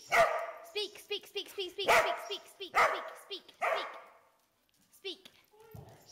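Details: Trained pet dog barking on command: four loud barks around two seconds apart, mixed with a person's repeated spoken commands, then quieter speech.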